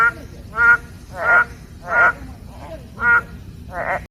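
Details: Boreal digging frogs give short, nasal, bleating notes, repeated about every two-thirds of a second, from a wetland beside an ecology and environment education centre in Gwanggyo, Suwon, South Korea.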